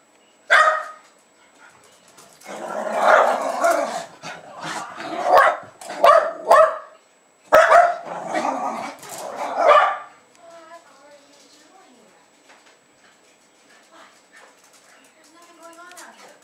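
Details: Two Jack Russell Terriers, about two and a half years old, run and jump while greeting a woman returning home in Lenexa, Kansas, on 15 February 2010. Loud excited barks come in dense bursts for ten seconds, then a quiet stretch with faint whines.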